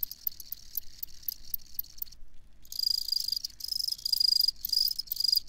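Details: Cricket chirps in shrill pulsed bursts, briefly dropping out for a moment before resuming louder with rhythmic trilled pulses against a quiet background.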